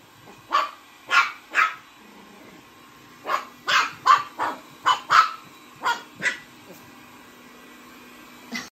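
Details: A Chihuahua being chased by a vacuum cleaner gives irregular bursts of high, yappy barks: three, then a pause, then a rapid cluster of about nine, with a low mechanical hum underneath.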